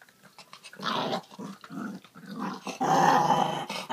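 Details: Indoors, a puppy guards a pork trotter (jokbal), giving throaty growls that build into a longer, louder rumble near the end, with faint rustling between bursts.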